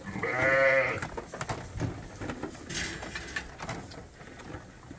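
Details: Bottle-fed lamb at Ewetopia Farms, one of several kept with their mothers and topped up twice daily at a hand-made feeder. A single loud, quavering bleat under a second long opens, then clattering and knocking of the feeder and pen.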